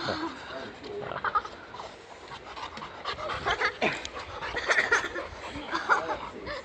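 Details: Boxer dog named Rex in Sweden, greeting a family of boxer fans who once owned a boxer: quick, breathy, excited panting in rapid uneven huffs, with human voices murmuring in the background.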